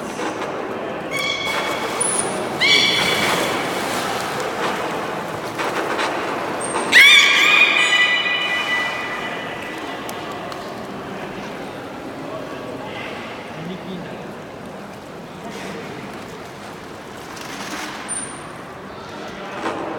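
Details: Beluga during a public training session at Port of Nagoya Public Aquarium, 24 March 2018, 16:30 show: thin high whistles and a bright rising harmonic squeal near seven seconds over a steady murmur of crowd noise.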